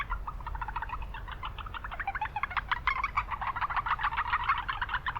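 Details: Japanese brown frogs calling in an urban wetland: a dense chorus of short, rapid, knocking notes in quick overlapping series, many callers at once, over a steady low rumble of town noise.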